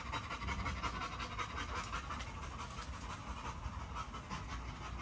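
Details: Large Great Dane dog breathing hard in fast, even pants close to the microphone, a steady pulse of breathy bursts throughout.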